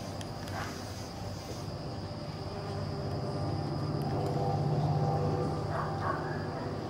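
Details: A bumblebee visiting a spotted jewelweed flower on 11 October 2018 gives a low, steady droning buzz that swells and fades over a murmur of background noise.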